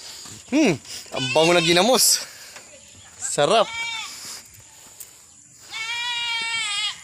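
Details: Goat in Mindanao, the Philippines, giving several short wavering bleats, then a longer, steadier, nasal bleat near the end, with quieter background sounds between calls.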